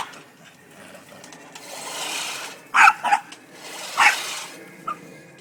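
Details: Boston Terrier angry at a push lawnmower: a few sharp, harsh barks, two close together and one more a second later, over the lawnmower's broad rasping whir.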